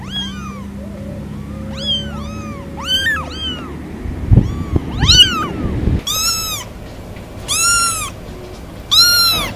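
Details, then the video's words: Domestic cat giving a string of short, arched meows, several high-pitched and kitten-like, some rising then falling, a few repeated in quick bursts toward the end, with a steady low hum underneath early on. "Vidio kucing mengeong lucu"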